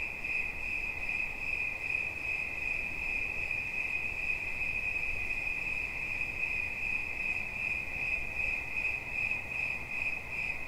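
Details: Unbroken high-pitched cricket trill, fast pulsing chirps at a constant pitch with a faint overtone, steady in loudness from start to finish over a light low-frequency hiss.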